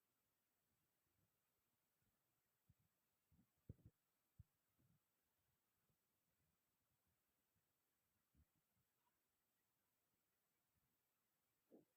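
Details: Near silence with a faint hum and a few soft low thumps, and no animal voice.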